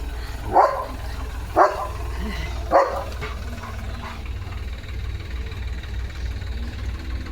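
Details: Leo, a German Shepherd, barks at a tractor moving in front of the house: three short, loud barks about a second apart, then quieter, with a low engine rumble and people talking nearby.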